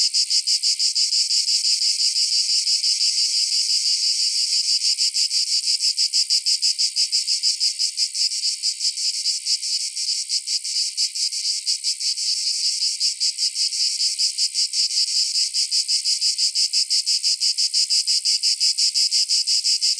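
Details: A continuous, high-pitched buzzing drone of cicadas on a summer night, pulsing rapidly and steadily throughout.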